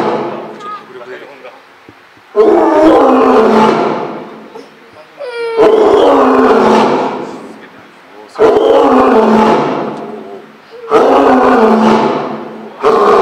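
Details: Eleven-year-old male lion at Higashiyama Zoo, Nagoya, Japan, filmed on Sunday 25 June 2023 in a back room, roaring as many visitors gathered: four long, loud, rough roars, each about two seconds long and roughly three seconds apart, with crowd voices between them.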